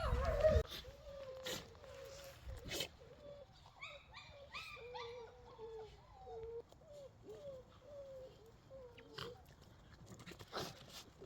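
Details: Domestic dogs whimpering in a long run of short, nasal, mid-pitched whine notes, each slightly bending down, repeated several times a second for over ten seconds, with a few knocks and thumps in the background.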